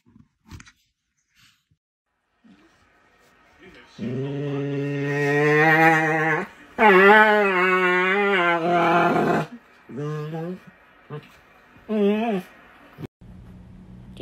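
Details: An angry dog gives a long, drawn-out vocal growl that wavers and rises in pitch over several seconds. Shorter snarling outbursts follow, with a quiet room background.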